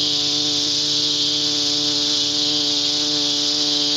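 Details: Flying cicada making a continuous loud, hissing buzz, steady and unbroken throughout, over a low droning hum.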